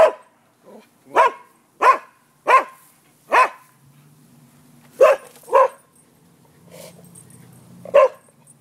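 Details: Barking dogs recorded by a neighbour at noon on 5 November 2015, sharp single barks spaced roughly every half second to a second, a few faint yips between, with a low engine-like hum and distant voices.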